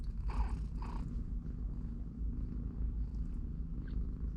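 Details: Low, throbbing purr from three-week-old kittens with their mother cat in a cardboard box, broken near the start by two short, brighter sounds before the steady rumble carries on.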